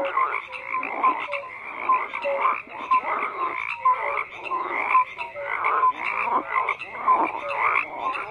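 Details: Frogs in a dense croaking chorus, many overlapping calls in pulses about once a second, rasping croaks mixed with short tonal notes, steady and continuous throughout.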